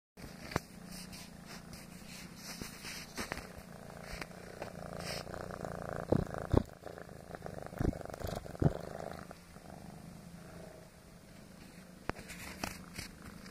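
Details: Foster kitten, male, purring while kneading: a continuous low rumbling purr with steady pulsing, broken by a few soft clicks and rustles of movement indoors.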